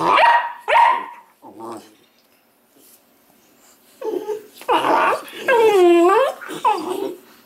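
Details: Weimaraner puppies from the Indigo and Magnum litter: two sharp high yelps, a short low grumble, then a run of loud, wavering, harmonic whines and squeals rising and falling, with a faint low voice in between.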